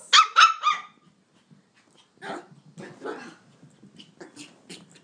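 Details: Indoor toy poodle running circles around a coffee table, grunting like a pig; three sharp high yips open, then rough breathy grunts come in short bursts roughly every half second, with a person speaking softly nearby.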